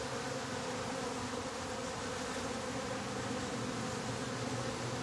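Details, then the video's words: Steady buzzing from honey bees inside a top bar hive as the bottom board is closed up, an even, unbroken drone with layered low tones and no clear pauses. "Closing the Bottom Board, now with real Bee Sound!"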